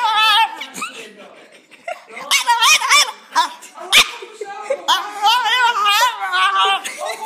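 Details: Small French bulldog answering and copying a girl: a stream of warbling, moaning, half-howled sounds with sliding pitch, somewhere between talking, singing and yelling, mixed with her speech.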